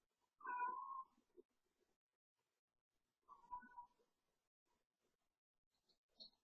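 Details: Domestic cat yowling at night while playing, as it does almost every night at bedtime; two drawn-out, wavering mid-pitched yowls about three seconds apart, with faint soft thumps and a short high squeak at the end.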